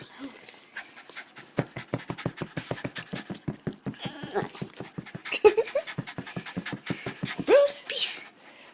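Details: Eager male Boston Terrier vocalizing because he wants to play with the ball: a long run of rapid panting grunts and throaty snorts, with brief whiny rises and a person's voice mixed in near the end.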